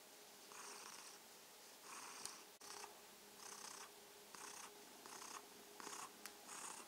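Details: ['Purring domestic kitten named Mausi, filmed as an evening good-night greeting. Hissing purr bursts swell and fade with each breath at a slow, somewhat uneven pace, with two sharp clicks and a faint hum in the background.']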